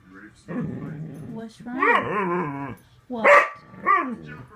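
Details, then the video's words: Upset house dog protesting another dog's attempt to climb onto the bed. It gives a low growling grumble, then a warbling whine, a sharp yelp and a falling moan, with an owner asking what is wrong. "Talking dog"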